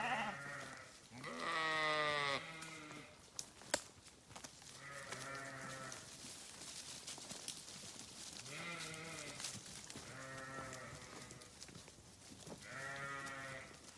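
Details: Sheep of various breeds, foraging in pastures and fields, give a series of wavering, nasal bleats, several voices calling one after another.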